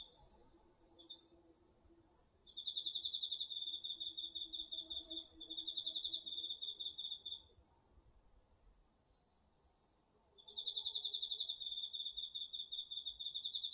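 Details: Night chorus of autumn insects including crickets in a Japanese garden field, DR-40X recording: sustained runs of rapid, shrill pulsed chirping start and stop in three bouts, over a constant high background trill.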